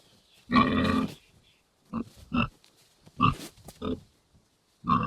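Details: Domestic pig grunting in its pigsty: one longer, rough grunt opens, followed by a scattered series of short, gruff grunts and snorts with quiet pauses between them.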